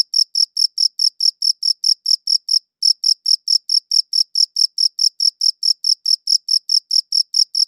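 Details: A cricket chirps in a quick, regular series of bright, high notes, recorded on a good audio recorder. Brief pause near the three-second mark before the rhythm resumes; otherwise silent.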